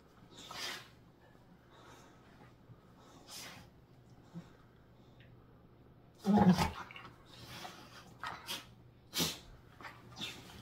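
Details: Two pit bulls play-wrestling, a young puppy with baby teeth and a tolerant adult rescue dog. Short breathy snorts sit over quiet pauses, then a loud harsh snarl erupts midway, followed by a few sharper huffs.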